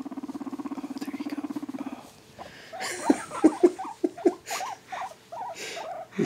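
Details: A male guinea pig being tickled and petted purrs with a low, rapid, motorboat-like buzz, then gives short squeaks.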